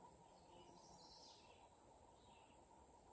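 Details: Canadian cicada (Okanagana canadensis) song in shrubby early-successional regrowth with blackberry and fire cherry after a wildfire, Adirondack North Country: a thin, steady, very high unbroken buzz over soft hiss and faint distant bird chirps.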